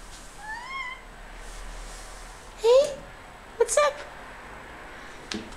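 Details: Pet cat, described as usually very chatty, indoors while being talked to: a faint high rising meow near the start, then two short loud meows around the middle, with a woman's voice speaking to her.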